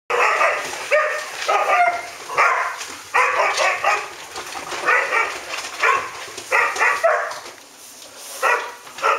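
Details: Standard poodles, a pack of red poodles, barking in August 2014: a series of short harmonic barks in bursts, some doubled or tripled, spaced irregularly about every half second to a second, with quieter gaps between volleys.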